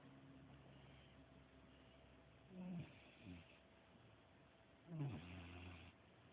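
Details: Sleeping pet dog Carmella gives two low, gravelly snores about two seconds apart, each with a breathy hiss, over a steady quiet background hum.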